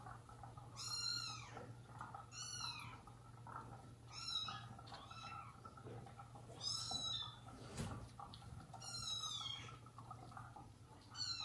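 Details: Indoor household of mother cat Jaco, her newborn kittens and foster kittens. Shrill, high meows that rise and fall repeat roughly every two seconds, six in all, over a constant low electrical hum with a single soft thump.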